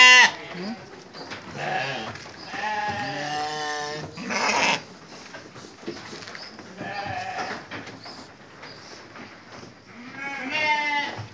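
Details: Sheep at evening feeding, bleating in several wavering, harmonic calls of about a second each, spaced through the recording, with human speech between them.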